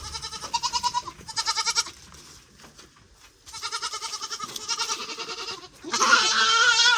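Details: Goats, from a group after four more were bought, bleating in quavering, wavering cries: two short bleats, a pause, then a long run of trembling bleats ending in a strained, higher cry.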